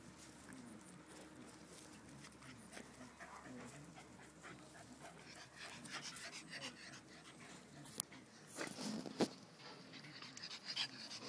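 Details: Axel, a 1½-year-old pet Rottweiler who loves apples, munching on an apple with a Boston terrier/pit mix and a chihuahua nearby. Steady low panting and chewing, then a sharp crunch followed by a cluster of louder bites toward the end.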